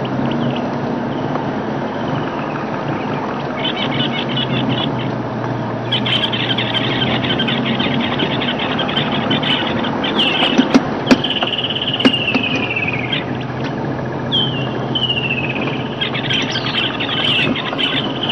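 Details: On an open-vehicle game drive in Djuma Game Reserve, South Africa, in December 2008, a dwarf mongoose gives high, shrill repeated alarm chirps, possibly at the vehicle's approach, over a low engine rumble.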